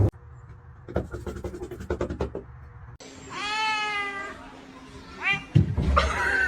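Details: Kitten from a cute kitten compilation, after a stretch of clicking and knocking noises, gives a long arched meow that rises then falls, a short second meow and a final cry over background noise.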